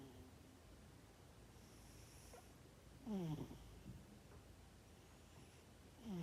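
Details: Sleeping cat snoring, recorded 12 December 2021: a low, rough harmonic snore with a downward sweep near three seconds in and another starting at the end, separated by quiet breathing hiss.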